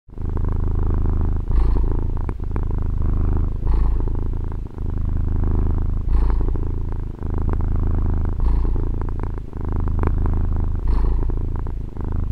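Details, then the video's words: Female domestic cat purring, recorded on a Tascam DR-40: a steady low rumbling drone that swells and dips with each breath, roughly every two to three seconds, with faint soft clicks over the rumble. "Fusa di Gatto ASMR | registrazione con Tascam DR-40 gatto che fa le fusa"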